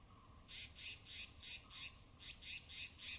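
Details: Native forest squirrels foraging on rain-soaked branches in the evergreen canopy of Tamhini Reserve Forest, Western Ghats, captured with a binaural array: rapid, harsh, high-pitched chatter of evenly spaced rasping bursts, about three per second, in two runs.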